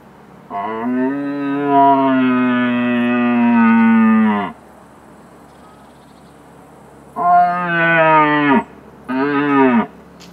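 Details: A red deer stag, about 200 m away and holding many hinds, gives deep, drawn-out rutting roars in an evening hunt: one long bellow followed by two shorter ones.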